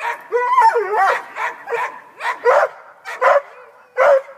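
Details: Black and Tan Coonhound up a tree chasing a cat, voicing a quick run of yelping bays and short whining barks, about a dozen bursts in four seconds, loud and uneven.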